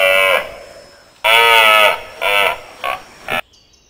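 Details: Rutting red deer in Switzerland: harmonic bellows, one long followed by shorter fading bursts, then near silence with a faint high tone at the end.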